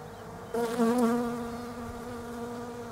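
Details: Honey bees of the European kind buzzing around Desert Ash blooms in an Australian autumn; a sudden close drone with a wavering pitch flares up, then settles into a fainter continuous hum.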